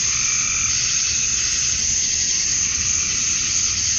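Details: Male cicadas at summer dusk in Georgia, USA, chirping to attract females, produce a thick, steady, hissing high buzz with no pauses.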